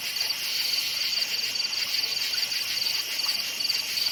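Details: Night forest crickets give bright, rapid chirps in a regular rhythm, several each second, layered on a continuous high buzzing background chorus.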